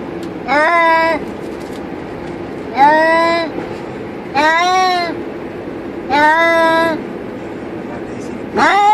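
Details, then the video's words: Pair of cats in their cage in a car on the highway give repeated long, wavering meows, about one every two seconds, five in all, above constant engine and road noise. "Cats Make Funny Noise While In Car"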